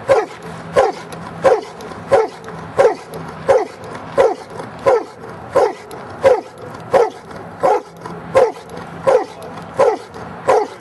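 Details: Almost three-year-old Giant Schnauzer in Schutzhund training, giving a regular series of loud, clipped barks about every 0.7 seconds, very even in rhythm, over low background hum.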